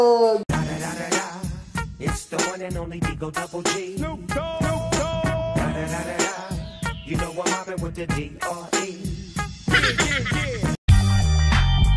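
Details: Loud reggae-style hip hop track with rapping over a heavy beat, briefly cut near eleven seconds.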